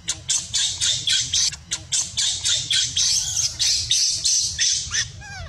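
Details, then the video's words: Baby monkey Luno crying as its mother warns it off and denies it milk: harsh, raspy squeals in rapid bursts, roughly four per second, almost without pause, over a low background rumble. "Very sad see poor Luno crying by mom warning deny milk"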